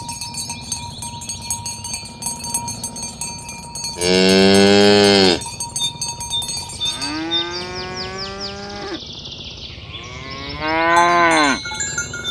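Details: ['Morning herding of tame cows to their pen on village roads, the animals calling others to gather. Three long moos, one steady and loud and two arching upward then dropping, with constant cowbell jingling between them.']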